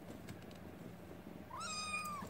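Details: Kitten meowing indoors, a rescued kitten held close while sleeping with its carer; one clear rising-then-level meow near the end after quiet room hum.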